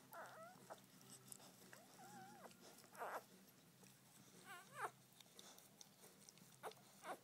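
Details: Newborn Border Collie puppy, Blaze, a male, taking his first breaths just after birth; thin wavering whimpers and squeaks in short bursts with gaps, some rising and falling, over a low steady hum and a few faint noises.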